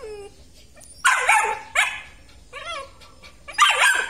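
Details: Belgian Malinois, a male from a litter of black and red-black dogs at a Vietnamese kennel, giving three sharp, high yelping barks about a second apart, each with a falling whine-like tail, over quiet background.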